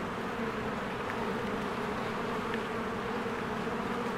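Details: Steady swarm hum from honeybees at their hive in spring, a thick uniform buzz of many insects with no pauses, plus two faint short high chirps.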